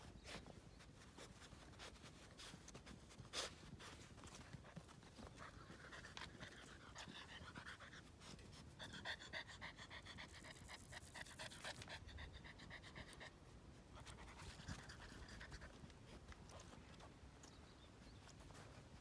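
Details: Yellow Labrador retriever puppy, a male from the dam Hina, panting quickly and unevenly at about four breaths per second, with sharp clicks and brief whiny tones woven through the rapid breathing.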